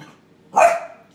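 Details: Four-month-old Australian Terrier puppy investigating an onion skin gives a single short, sharp bark with a brief harsh tail, amid a quiet indoor background.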